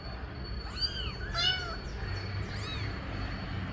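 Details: Mother cat meowing to ask for her kittens to be put in the nest. Three high, arched meows, the middle one longest and loudest, over a steady low hum.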